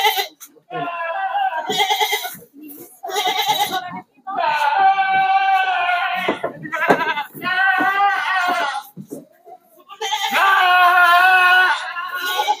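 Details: Goats, sixty head, loaded for night transport to Jambi, Indonesia, one leaping from the vehicle; repeated long quavering bleats from several animals overlap with shouted warnings, speech and background music.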